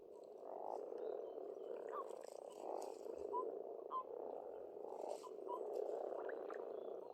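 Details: Many frogs croak together at a pond in Estonia in spring, a thick, pulsing chorus that swells and eases, with scattered sharper knocks and faint bird chirps above.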